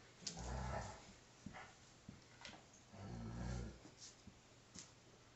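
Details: Five-week-old female Alaskan Malamute pup at play with her father; two low, rumbling growls each about a second long, separated by quiet clicks and scuffles.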